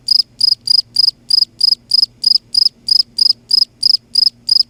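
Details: A night-calling cricket in Kerala makes a loud, high, pulsed chirp. About fifteen chirps come in under five seconds at a regular pace. A faint low hum is audible beneath them.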